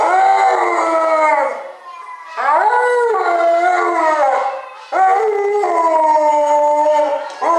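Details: Pet Alaskan Malamute dog giving a run of howls, each sliding upward at the start, holding steady, then sagging down at the end, repeated roughly every two to three seconds.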